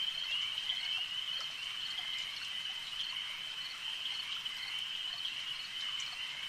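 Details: Frogs at a lake form a steady wall of sound: constant shrill, ringing trills at high pitch, even in loudness from start to finish, with light clicking notes layered on top.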